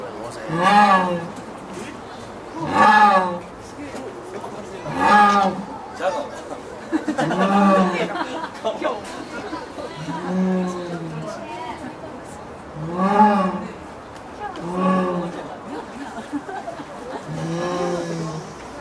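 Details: At Tennoji Zoo on 24 October 2017, the jaguar Ruth calls in the evening, gazing at the next enclosure where Jagao lives. Drawn-out, mournful moaning calls repeat about every two seconds, eight or so in sequence, with crowd chatter behind.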